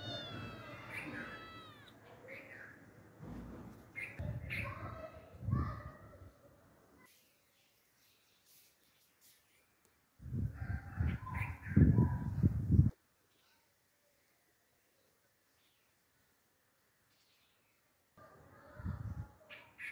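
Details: A domestic cat sitting under a pomegranate tree mews several times. The first seconds hold wavering, harmonic meows. Later come low, rough bursts of sound, separated by stretches of near silence.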